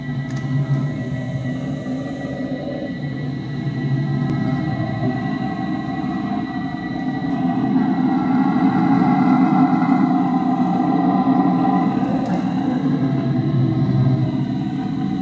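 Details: Red howler monkeys in the Amazon jungle at Tambopata, Peru, roar in a deep, continuous, rumbling chorus that swells louder midway.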